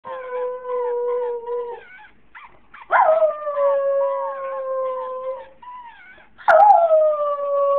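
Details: A female Jack Russell Terrier "sings" in long, steady, mid-pitched howls, each starting with a sharp yelping rise, when her toy is played but she isn't allowed to have it.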